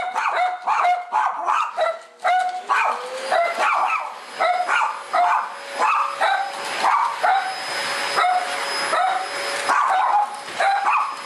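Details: Kabu and Robin, two house dogs excited by the vacuum cleaner after returning from a walk, give a steady stream of sharp, high-pitched barks and yips, roughly two per second, over the cleaner's constant whine.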